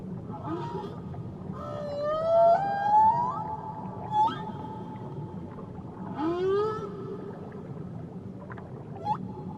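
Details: Tahiti whale sounds: rising whooping sweeps and bright harmonic squeals repeat in clusters every couple of seconds, with lower upward glides between, over a steady background hiss of the sea.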